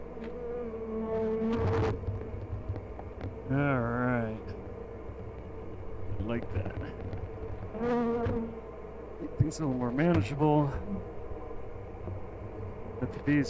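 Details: Honey bees during a hive check at "The Mountain" on 22/6/29, hives full of honey; a steady mid-pitched hum runs throughout, while single bees zip past close by in wavering, swooping buzzes.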